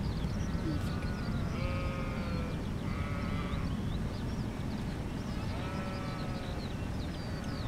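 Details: Several sheep bleating to one another, a loose chorus of drawn-out wavering bleats at different pitches, some overlapping, over a steady low rumble of background noise.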